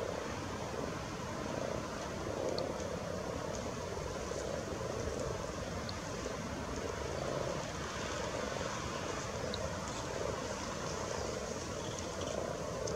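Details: Frogs spawning at Luolavuori in Turku: many callers merge into a dense, unbroken purring murmur that swells and fades gently, with a few faint high ticks scattered above.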